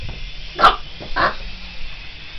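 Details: Boston Terrier barking while chasing a remote control helicopter: two short, sharp, broadband barks about half a second apart, with a faint steady mechanical hum underneath.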